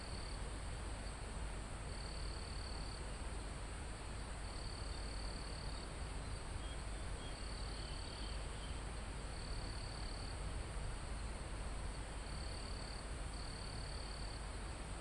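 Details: Crickets in a calm forest near the top of a mountain, recorded live: steady high buzzing trills about a second long, repeated every one to two seconds over a constant high insect hiss and strong low wind rush in the foliage.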